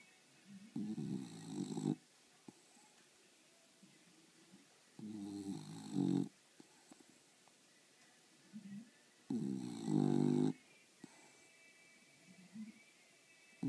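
An English Bulldog snores loudly in its sleep, with rough, rattling breaths every few seconds.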